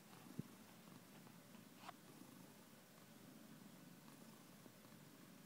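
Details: Domestic cat purring: a low, steady, rumbling pulse throughout, with a faint click near the start and a soft rustle near two seconds, indoors in a quiet room.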